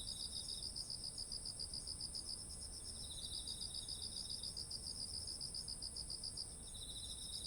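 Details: Chorus of autumn insects by ripened rice fields, recorded on a ZOOM H1essential. Rapid sharp chirps pulse in long regular trains, and a softer lower chirper joins at times against a steady high insect hum.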